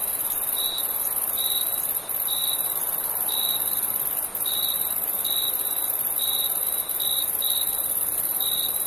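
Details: Night-time cricket chorus in summer, a single clear voice giving short, sharp chirps at fairly regular intervals while a continuous high, hissing insect trill fills the background.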